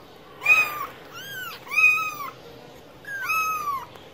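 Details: Domestic cat meowing: three drawn-out, arched meows with bright harmonics, each rising then falling, spaced about a second apart over a faint room hiss.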